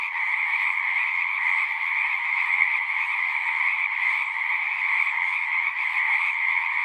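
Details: Frogs calling en masse in natural surroundings, a smooth uninterrupted ringing chorus concentrated in a mid and a high band, slightly swelling and fading in loudness but never stopping.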